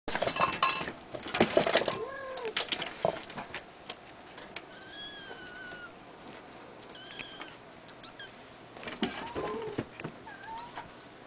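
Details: Three-week-old female Abyssinian kitten, born 22 April 2010 at a cattery, giving thin high mews, some rising then falling, scattered among clicks, clatter and handling noises.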